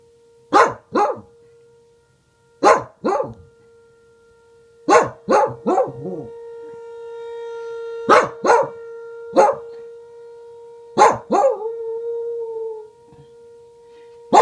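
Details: A female Welsh Corgi barks in sharp doubled bursts and howls at the steady wail of a tornado siren.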